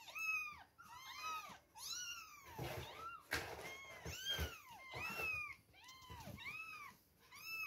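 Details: Two-week-old kittens mewing at milk time: loud, overlapping, arched mews about once a second, several voices calling together, with brief pauses and some handling noise midway.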